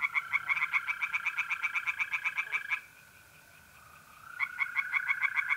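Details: Tree frogs calling by night at a pond in mid-April in north-east Italy, in a fast series of sharp, rattling notes, about four a second, with a pause midway; mole crickets also trilling.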